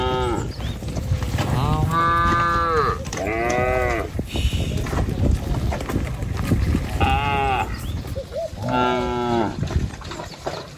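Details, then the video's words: Tame village cattle, a herd led by a herder in a line across a wooden bridge along a wet rice-field path toward pasture, give drawn-out, wavering moos in bursts, several overlapping, with steady outdoor rumble and shuffling underneath. "Sapi Lembu Jinak Berjejer Melewati Jembatan Kayu Menuju Rumput Sedap Suara Moouu"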